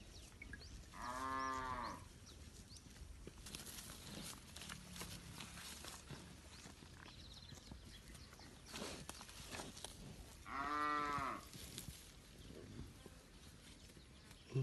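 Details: A herd of village cattle roaming freely in a green rice field while grazing, calling back and forth: two long, rich moos about nine seconds apart. Faint bird chirps and rustling sit in the background.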